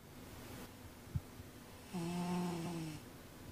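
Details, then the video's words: A female house cat wearing a cone snores while asleep and dreaming indoors; one drawn-out, low, droning snore with a buzzy harmonic edge lasts about a second after a quiet breathing pause and a soft tap. "Snoring Cat Dreams"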